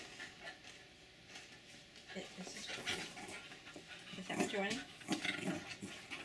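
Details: Jack Russell Terriers, two dogs indoors, one a senior male, jumping and begging excitedly for potato chips; short high wavering whines near the end, over a woman's chatty voice and rustling.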